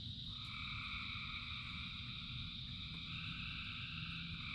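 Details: Massed frogs singing in the rain: unbroken high-pitched ringing chorus with a second layer rising and falling, over continuous heavy rain noise.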